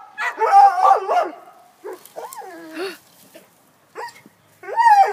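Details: Black and Tan Coonhound that has climbed a tree after a cat, giving several drawn-out, wavering howling yelps with pitch swoops, separated by pauses, with faint background noise.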